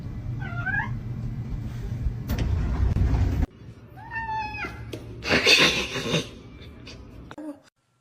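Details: Domestic cat giving two descending, wavering meows several seconds apart, mixed with a person talking, rustling and handling noise, with a louder noisy burst between them.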